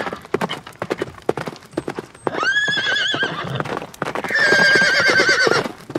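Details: Galloping horses in nature: a run of sharp hoof strikes gives way to a loud, shaking whinny, then a second long, strong neigh that holds and trembles before fading.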